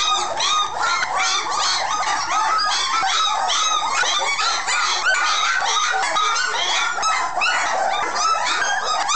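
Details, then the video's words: After a meal, a group of puppies in a kennel whose pillow has not been put back keep up a dense racket of squeaky whines and yelps, overlapping cries at a rapid, uneven pace. "Puppies after they eat and no pillow"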